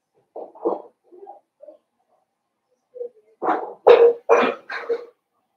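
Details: Blenheim Cavalier King Charles Spaniel puppies from a litter of five born at New Year's, in an indoor puppy pen at Red Barn Cavaliers: soft grunts and small whines, then four sharp, high yapping barks in quick succession.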